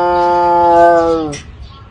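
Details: A tiger gives a drawn-out, tonal meow that holds steady and then sags slightly at the end.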